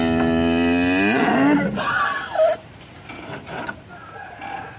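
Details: One of three agitated cattle, rope slipped, nearly bolting while being delivered; a long rich moo opens the clip, drops slightly in pitch and fades after under two seconds into quieter murmuring and faint background music.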